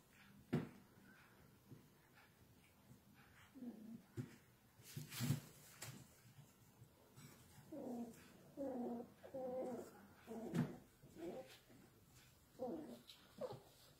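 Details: Pepper-and-salt miniature schnauzer puppies from the E Lakeshia litter playing together. Scattered thumps and clicks come first, then a run of short, squealing, growly yelps bunched in the second half, several close together, with brief pauses between bursts.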